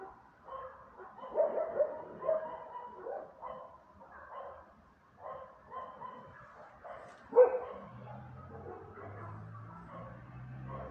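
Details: Several dogs barking in irregular bursts of harsh, tonal woofs, several quick barks early on and a single loud bark near seven seconds, with a low droning hum underneath toward the end.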